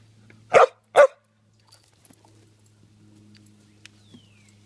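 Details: Jasper, a Samoyed dog playing fetch on a spring evening, gives two loud, sharp barks in quick succession, then falls quiet while faint high bird chirps and a low steady hum remain in the background.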